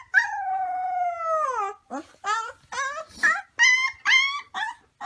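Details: A wolf pup holds one long, slowly falling howl for nearly two seconds. A quick run of short, choppy yips and brief howl fragments follows, broken by small gaps.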